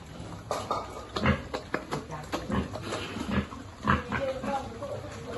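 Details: Feeding piglet on a farm grunts in brief, low pulses roughly every half second to second, with a person's speech and light handling noise alongside.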